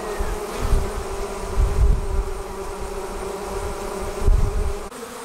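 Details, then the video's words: Honey bees leaving their hive to form a swarm: a dense, steady hum with layered droning tones. Loud low rumbling surges under the buzz, near the second mark and again after four seconds. "Bee Swarm Leaving the Hive"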